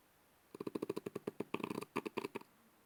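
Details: Sleeping French Bulldog snoring: a rapid, fluttering run of low rattling pulses, about ten per second, in two bursts of roughly a second each with a short gap, in an otherwise quiet room.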